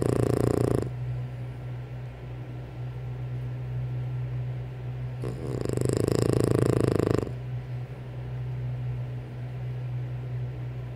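A French Bulldog snores with a low, rumbling, steady drone that swells into louder rasping breaths.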